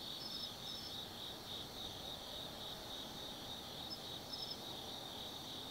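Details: Autumn insect chorus at night at Tsukimi no Mori above the Nobi Plain, Gifu Prefecture, Japan: several high trilling callers overlapping in a steady shimmer, punctuated by a few quick double chirps.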